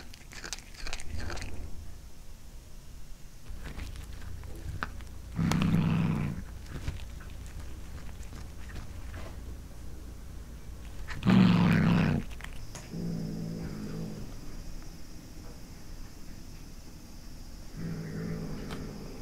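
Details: Domestic cat eating corn for the first time, rumbling as it chews indoors. Scattered chewing clicks come between several short low growls spread across the clip, the loudest about midway, with a faint steady high hum behind.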